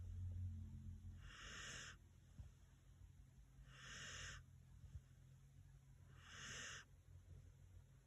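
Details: Sleepy senior dog snoring softly, three wheezy, breathy snores about every two and a half seconds, with a faint low hum underneath.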